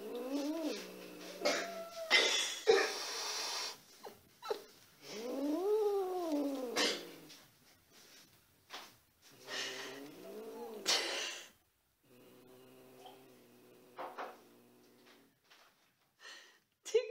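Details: Cats Tigger and Vivie meeting for the first time indoors; long drawn-out yowls that rise and fall in pitch, several in a row with short pauses, some flat and held, others arching, in a small quiet room.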